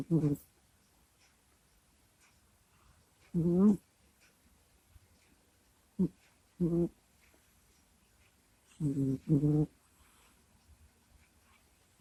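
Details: Kusya the pet cat sleeping indoors, snuffling and groaning into a microphone: short irregular throaty grunts and moans, some doubled, scattered across long quiet gaps.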